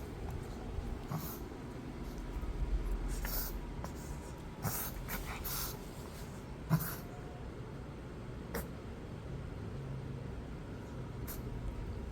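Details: Shih Tzu (Canis familiaris), reverse sneezing.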